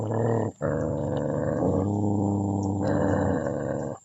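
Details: Puppy family dog gives a continuous, low, rasping growl lasting about four seconds, with a short gap near the start and slight shifts in pitch.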